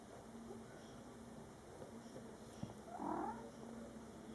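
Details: A single short mew from a cat family of a mother and young Scottish Fold kittens born July 22, 2012, heard late in a quiet indoor stretch.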